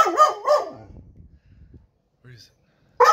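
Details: Turbo, a pet dog, freaking out when his toy drowned: two loud, whiny, harmonic yelps in quick succession at the start, a fading low rumble, then another sharp yelp cutting in at the very end.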